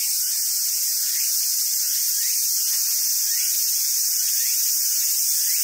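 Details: Summer cicadas at a monkey park in Sumoto, Hyogo, Japan, fill the air with a continuous high, hissing buzz; faint upward-sliding squeals recur about once a second beneath it.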